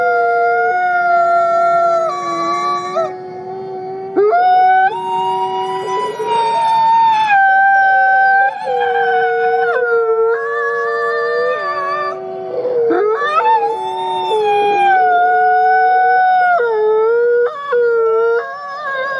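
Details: Drawn-out howling from captive-born gray wolf Nikai at the Wolf Conservation Center, South Salem, NY: many long tones, overlapping voices at times, sliding and stepping between pitches with short breaks over nearly twenty seconds.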